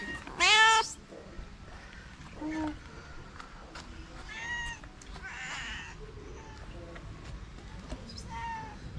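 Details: Stray calico cats living on the street in Morocco gather around people, meowing for love and food; a loud harmonic rising-falling meow opens, followed by several softer meows spaced a few seconds apart over faint background hum.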